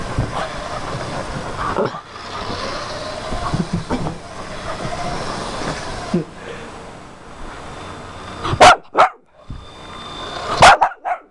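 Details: Female puggle chasing a remote-control car: a long stretch of whirring motor noise, then two sharp, loud barks near the end, about two seconds apart.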